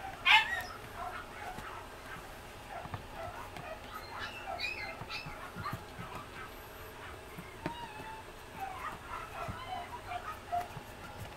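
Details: Female Pomeranian puppy, sixty days old, isabella and white coat, at a breeder in Mie, Japan; faint high thin whimpering squeaks scattered through a quiet room, with a few soft clicks and background hiss.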